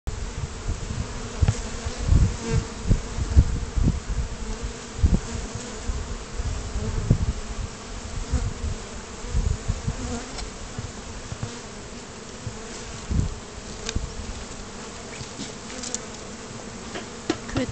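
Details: Small batch of bees on their first flight outside the hive, a continuous low droning buzz with irregular louder low thumps, likely from wind or handling, and brief human speech near the end.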